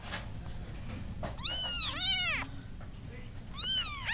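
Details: Kitten meows, three high arched cries, each rising then falling, the first two close together and a third after a pause, over faint low background hum.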